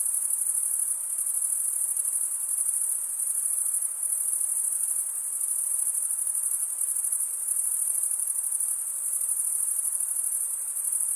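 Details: Continuous stridulation from male crickets, wing scraped over a comb-like serrated vein, forming a shrill, even chorus at very high pitch with slight rhythmic pulsing and only a soft hiss beneath.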